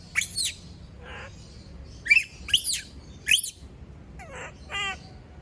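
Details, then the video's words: Female pet monkey screaming when everyone leaves her alone: five shrill, harmonic screams sweeping down from very high pitch, then a few lower, wavering calls near the end, with a faint background hum. "Sound of monkey berlin scream when all leave her alone, monyet berlin berteriKmak sendirian"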